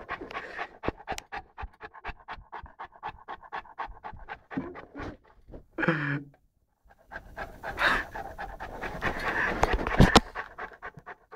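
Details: Lara, an 11-month-old Saint Bernard puppy, playing with a pygmy rabbit: rapid rhythmic panting breaths, a quick burst of other noise midway, a short silence, then louder rustling and breathy sounds.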